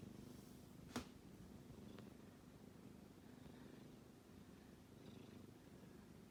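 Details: Low, gentle snore of a kitten asleep, a continuous soft rumbling drone pulsing with its breathing, interrupted by a sharp click near the start and a faint tick soon after.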